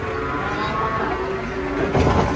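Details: Large cattle jumping down from a truck during unloading in Indonesia, with another animal described as raging: a drawn-out, even moo runs through the whole stretch over crowd noise, ending in a clatter.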